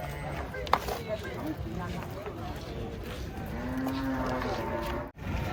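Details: Cattle unloaded from a truck, one animal giving a single drawn-out low moo near the end, steady in pitch for about a second, over busy outdoor noise, clatter and a sharp knock early on.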